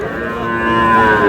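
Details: Calves being moved in Bangladesh, one giving a loud drawn-out moo with a strong harmonic tone that swells slightly and rises toward the end.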